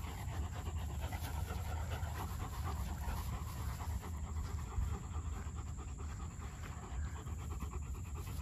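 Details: German Shepherd puppy panting in fast, steady breathy pulses that run without pause for the whole stretch, over a constant low rumble.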